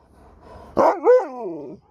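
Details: Sherpa, an Alaskan Malamute, talks back while his owner speaks: one drawn-out, modulated woo-woo vocalization that rises, dips and trails off over about a second, with a soft human voice before it.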